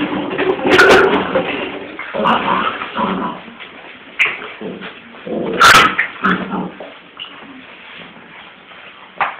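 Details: Transylvanian Hound puppies whimpering and yipping, with sharp louder yelps near the start and again about midway, and softer drawn-out whines and whimpers filling the gaps between bursts.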